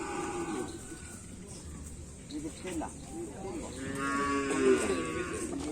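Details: Karapan sapi race cattle in Indonesia: a short moo at the start, quieter murmuring, then a louder, wavering drawn-out moo near the end, with music and background chatter.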